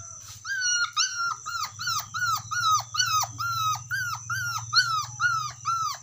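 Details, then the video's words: Dog calling to its friend with a rapid series of high, falling whines, roughly two each second, each sharp at the start and sliding down; a steady high electrical tone and low hum run underneath. "SUARA ANJING MEMANGGIL TEMANYA"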